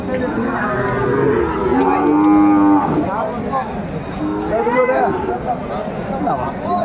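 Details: Sahiwal bull at Aftabganj cattle market in Brahmanbaria, Bangladesh, on 7 May 2024, offered to a farmer. A drawn-out, steady low moo lasts about a second, set against busy crowd chatter and bargaining voices.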